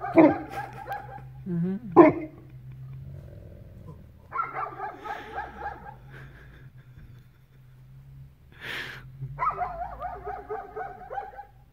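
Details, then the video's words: Bernie, a Newfoundland on his first visit to a Belarusian village, barks at the sunrise: two sharp, deep barks early on, then long wavering howl-like calls with a steady low hum underneath. "Bernie barks at sunrise"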